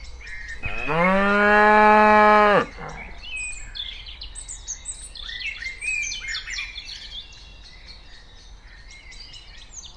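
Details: Among cows walking around, a cow gives one long, loud moo, followed by birds chirping in the background.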